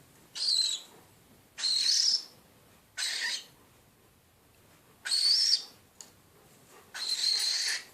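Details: An unidentified animal screeches repeatedly: five harsh, breathy, hissing screeches, each about half a second long, spaced roughly every one to one and a half seconds over a low background hiss.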